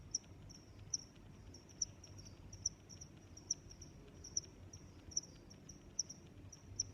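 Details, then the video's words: Cricket chirping in a relaxing nature setting: high, sharp pulsed chirps repeated about every 0.8 seconds, with a steadier faint trill beneath and low background rumble. "Sounds of Crickets"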